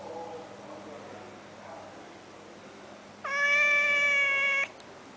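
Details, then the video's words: After several seconds of quiet room noise with faint murmurs, a cat living at a resort in Langkawi lets out one loud, drawn-out meow that holds a level pitch. "Meowing cat"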